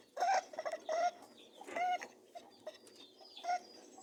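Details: Mating rabbits giving short nasal honking grunts, each a brief tonal note with a few rough noisy bursts between, in uneven clusters across four seconds.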